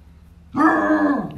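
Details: A 14-year-old female Basset Hound lets out a steady, resonant howl that dips slightly in pitch at the end.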